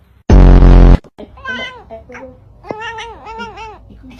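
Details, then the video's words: Pet cat making funny 'talking' meows: a sudden loud low blast, then a run of short arched, rising-and-falling meows in quick succession, with a woman speaking Indonesian nearby. "Kucing ngomong lucu"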